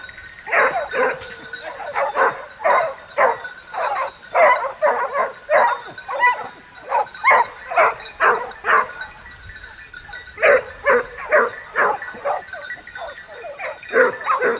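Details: Hunting dogs on a wild boar chase with hunters in southern France; quick, repeated barks at roughly two a second, a brief lull near the middle, then another fast burst of barking.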